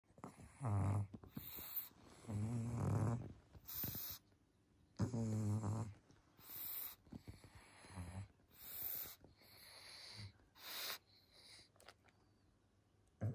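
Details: Pangpang the Pug, a pet dog asleep in cosy new colourful pajamas, snores loudly in low rumbling bursts about every two seconds, some breaths carrying a buzzy, wheezy tone, with brief snorts and quiet gaps between.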